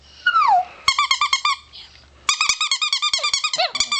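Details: Pet chihuahua, four years old, howling: a sliding falling whine, then quick trains of choppy pulsed yips, a short gap, and another fast run of stuttering high notes.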